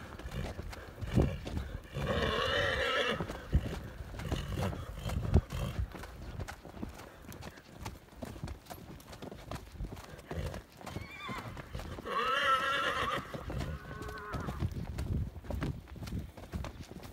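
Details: Clydesdale stallion giving two separate wavering whinnies, one near the start and one near the end, over a steady background of hoof clip-clop and rustling.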